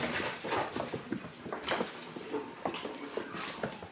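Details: Two-month-old Shiba Inu puppies, grown rowdy, playing indoors; soft high whimpers and short squeaky yips come in scattered bursts over shuffling and scratching noises in a small room.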